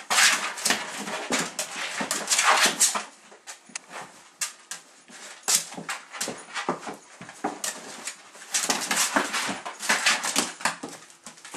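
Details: A small female Miniature Pinscher gives sharp, high yaps and whiny yelps in quick, irregular bursts while pestering a much larger, gentle pinscher.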